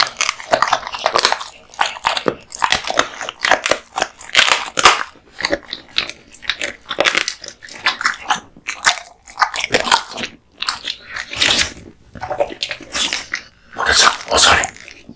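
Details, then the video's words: Kotetsu, a male American Bully, crunches raw bones and meat at mealtime indoors: crisp, splintering bites and grinding chews snap out in steady bursts roughly every second, with short silent gaps between. "Dog eats raw meat bones"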